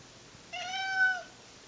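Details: Household cat, one of the pair Monkey and Dipper in old footage, utters a single clear, sustained meow lasting under a second, steady in pitch with a slight swell near the end.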